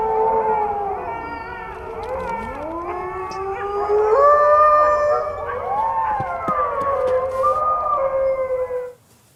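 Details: Chorus of wolves howling: many overlapping voices sliding up and down in pitch, some rising steeply, forming a dense wavering wail that stops abruptly at the end.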